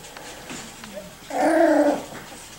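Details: Miniature Schnauzer puppies, five to six weeks old, playing tug of war; a brief harmonic whine, level then slightly falling, lasting about half a second after quieter shuffling and a short lower squeak.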